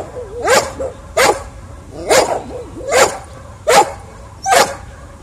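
Dogs, a Beagle and a Pekingese, barking in sharp, repeated bursts about once a second.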